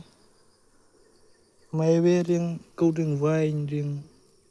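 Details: Bees around a nest where the queen cannot be found, making two loud close buzzing bursts with a deep steady hum and a wavering upper tone.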